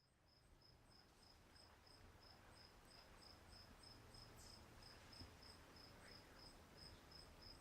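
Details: A cricket at Walden Pond gives a bright, high-pitched chirp, repeated evenly several times a second without pause, over a low, steady rumble of wind or distant background noise.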